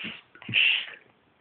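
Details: A pet cat having a sneezing fit: a short, soft intake followed by one sharp, hissing burst lasting under half a second, then quiet.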